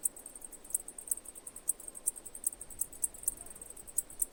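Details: Chirping cicada producing distinct high ticking pulses, a few each second at uneven spacing, against a quiet low background murmur.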